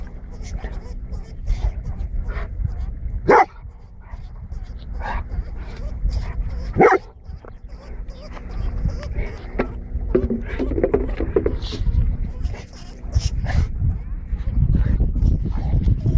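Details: Golden Retriever hunting a lemming gives two short, sharp barks about three and a half seconds apart, standing out over steady low rumbling noise and soft scuffling sounds.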